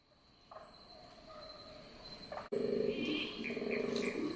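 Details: A distant male koala bellows around 1 a.m. in central New South Wales, a rough, rhythmic, droning series of pulsed groans; night-time communication between koalas, not a mating call.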